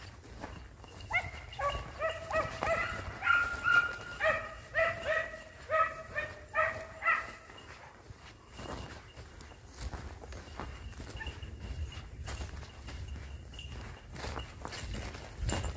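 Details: Dogs hunting hare, a steady run of rhythmic yelping barks for about six seconds, then fading, leaving wind and rustling outdoor noise.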